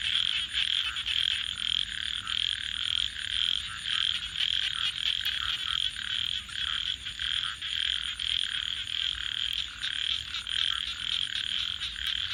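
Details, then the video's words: A night chorus of frogs near a campfire: shrill, dense trilling with loose pulses roughly twice a second. It runs unbroken, and a few isolated crackles appear toward the end. "frogs 🐸 Sounds"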